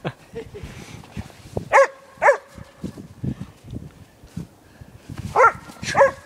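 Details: Podenco Canario bitch playing in a snowy Stockholm dog park at minus four, barking as she chases her owner: two pairs of loud, clipped barks, each pair about half a second apart, over quieter rustling between.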